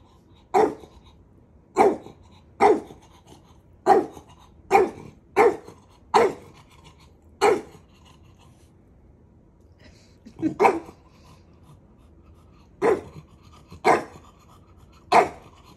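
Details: Puppy teasing his big brother with a long run of about fourteen sharp, clipped barks, irregularly spaced roughly a second apart, with a pause in the middle before the barking resumes.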